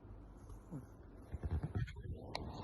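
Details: A sleeping Pomeranian, eyes open, snores in low, rough, grunting pulses that sound almost like piglet snorts.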